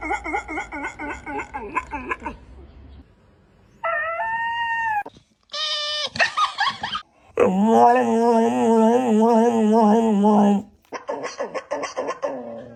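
A dog makes odd, wavering howls and whines, ending in a long, warbling, drawn-out note.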